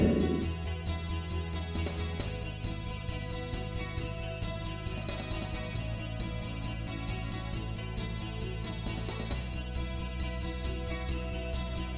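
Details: Background music with plucked guitar, bass and a regular drum beat, and no animal voices.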